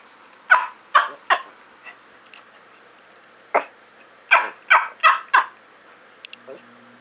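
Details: Rufus, a shy rescued male Chiweenie of about 4 years and 8 lbs, gives sharp, high, yappy barks, about nine in seven seconds, some in quick pairs, followed near the end by a faint short tone.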